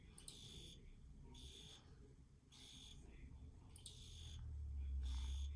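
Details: A field cricket gives five evenly spaced high, buzzy chirps about every 1.2 seconds, with a constant low hum underneath.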